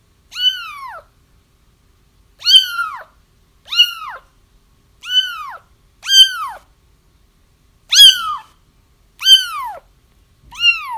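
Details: Kitten crying meant to draw a feral mother cat toward a trap: eight sharp, descending mews with bright overtones in steady succession, some slightly overlapping as if from more than one kitten, with silence between calls.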